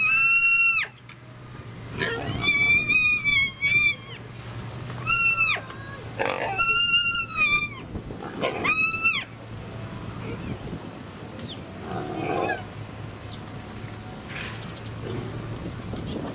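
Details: Miniature pigs squealing at Kobe Animal Kingdom in Hyogo, Japan, 8 May 2019: a burst of short, shrill, wavering squeals packed into the first nine seconds, then quieter scattered noises over a low background hum.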